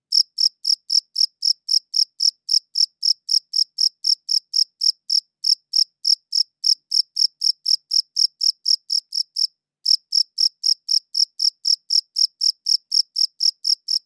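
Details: A cricket recorded up close with a quality audio recorder gives high, clean chirps at about four per second, each a short pulsed burst with a faint overtone, and brief breaks near the fifth and ninth seconds. Nothing else is heard.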